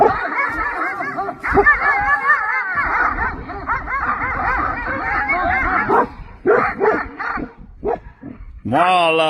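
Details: A pack of livestock guardian dogs charges a rider on horseback, a loud tangle of wavering barks and howl-like yelps from several animals, breaking into separate bursts near the end.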